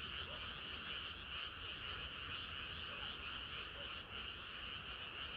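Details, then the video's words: Frogs singing in a dense chorus on a hot summer night, a continuous trilling wall of sound with two steady bands, no breaks or other voices. "개구리들의 합창은 끝이 없어라"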